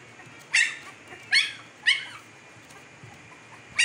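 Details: Fifteen-day-old Siberian Husky puppies in Pakistan, eyes newly opened; three sharp, high squealing yelps with quick downward sweeps, roughly 0.7 seconds apart, and a fourth starting at the end, over quiet background hiss.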